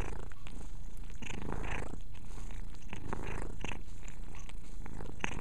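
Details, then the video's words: Pet cat Mia purring as she grooms, a constant deep rumbling throughout with brief licking and rustling noises layered on top. "Mia purring and cleaning."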